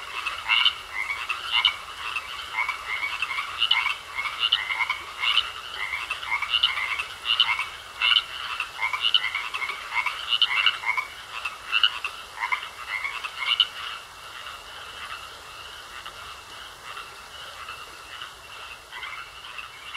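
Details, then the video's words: Frogs croaking in a pond, regular pulsed croaks repeating about every three-quarters of a second for roughly fourteen seconds, then dropping away to leave only a steady high trill and quieter scattered calls. "Sounds Of Frogs Croaking In A Pond"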